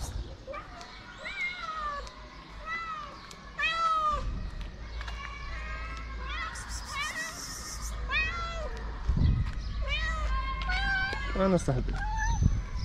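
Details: Stray cats in Morocco, hungry and begging for food, meow repeatedly, close to once a second. The cries are arched and harmonic, some short and some drawn out, over a person talking and street noise with scuffing sounds.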